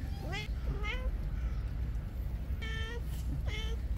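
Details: Stray island cats on a cold, rainy day, called out of their shelter by a man's voice: four short, clear meows in quick pairs, some bending upward, over steady low rumbling background noise.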